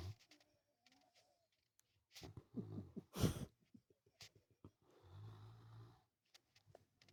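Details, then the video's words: Indoor dog asleep, one long low snoring breath near the end, after a sharp clatter and some rustling. "dog snoring"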